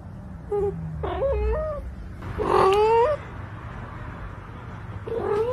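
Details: A pet cat giving several drawn-out, wavering meows, the longest and loudest in the middle. They sound whiny and caterwauling, over a constant low hum.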